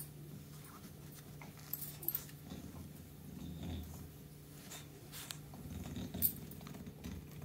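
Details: British Bulldog Meatloaf grumbles while being massaged indoors: low, rough rumbling growls come in soft swells, strongest around the middle and near the end, over a steady electrical hum with a few faint clicks and rustles.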